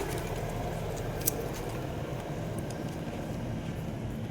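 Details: Only a low rumbling background with one sharp click is heard, and no animal voices are present.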